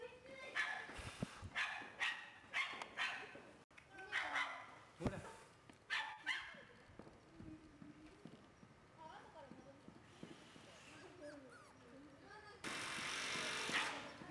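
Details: Red male Shiba Inu puppy, born 10 October 2011 and filmed 20 November 2011 at a breeder's kennel, gives a run of sharp, repeated yaps in quick succession, then quieter squeaky sounds among human voices and handling noise.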